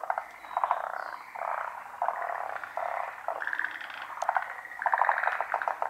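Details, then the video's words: Large chorus of frogs at a pond in Japan, the callers hidden from view: dense overlapping croaks in pulsing bursts that swell and fade every second or so, with one wave of calls following another without pause. "カエルの大合唱／Large chorus of frogs"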